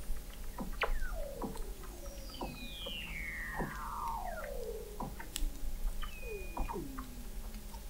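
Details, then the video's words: Several Weddell seals call beneath the sea ice of McMurdo Sound, Antarctica, in November 2017, recorded at 21 m depth by an ocean observatory. Long sweeping whistles slide steeply down, mixed with sharp chirps and a high flat tone. "Song of the Antarctic Weddell Seal"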